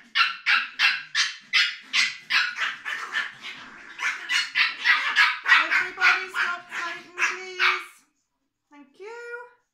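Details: Tuppence, a female Biewer Terrier puppy, being brushed and having her microchip implanted: rapid high yelps, about three per second for eight seconds, followed by a short rising whine.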